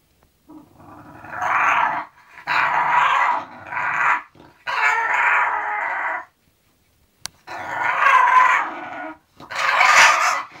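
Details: Zenuś the English bulldog, heading off to sleep, lets out a series of six raspy, moaning groans, each one to two seconds long with short breaths between, plus one sharp click midway.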